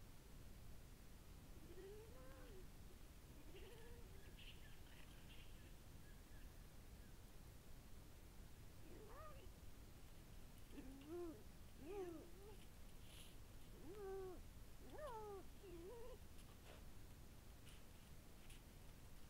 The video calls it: lynx_vocalizations